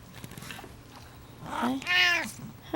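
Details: A pet cat, woken while asleep indoors, gives one short meow. It opens soft and low, then swells into a bright, rising-then-falling wail before fading. A woman speaks gently just before it.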